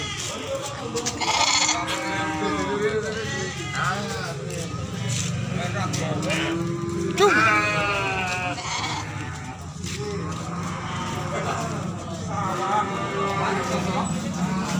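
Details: Goats at the busy Grabag goat market: many overlapping bleats, some wavering and rising-falling, others drawn out, coming every second or two amid constant crowd chatter and people talking nearby.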